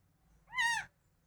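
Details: A single high, clear, drawn-out meow from a crying house cat that had just been fed, level then dropping at the end, over a soft low hum.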